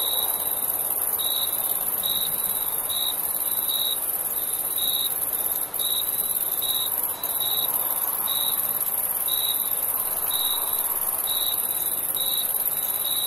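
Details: Summer night crickets: a steady series of clipped, high chirps about once a second, each the same pitch, layered over an unbroken sizzling drone of further insects in the background.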